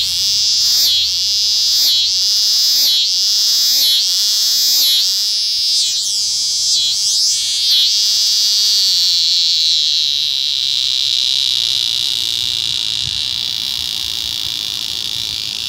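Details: Eastern scissor-grinder cicada in unusual courtship behaviour: a loud, high buzzing drone pulsed into regular rasping beats, about four per second at first, then smoothing into a continuous steady whine.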